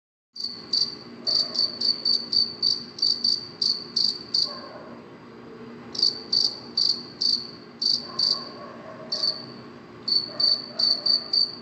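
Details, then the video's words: Cricket chirping at night: short, high, pulsed chirps repeated in quick bursts, with brief pauses between runs, over a faint low background hum. "cricket chirping sound صوت صرصور الليل"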